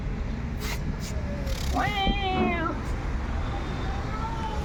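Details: Cat coming close after a person imitates a cat call: one drawn-out wavering meow near the middle, rising then falling, over steady background noise with brief clicks and faint tones.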